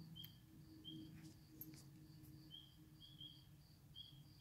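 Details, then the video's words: Spring peepers calling at a swamp, short high peeps repeated irregularly about once a second, several callers overlapping at two slightly different pitches, over a steady low rumbling hum. "Spring Peepers"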